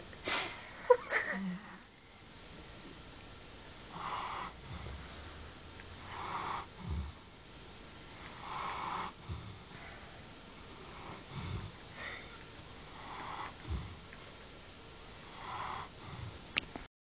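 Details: Kasta, a sleeping Central Asian Shepherd Dog (alabai), snoring steadily: soft, rasping breaths recur about every two to two and a half seconds, with a few sharper snorts and sniffs near the start, indoors and otherwise quiet.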